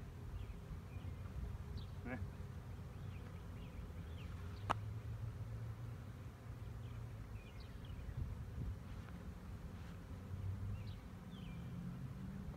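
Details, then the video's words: Swarming honey bees in 2019 give a continuous low, thick hum that never breaks, joined by scattered faint bird chirps and one sharp click partway through. "Honey Bee swarm"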